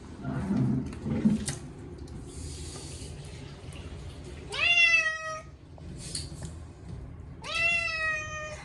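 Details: Bath-day screaming from Chacha, a short-legged Munchkin cat, washed for the first time in a year: two loud, sustained meows several seconds apart, preceded by rumbling water and splashing in a small room.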